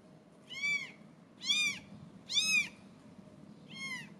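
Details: British Shorthair kittens, 17 days old, give thin, high meows, rising then falling, about one a second.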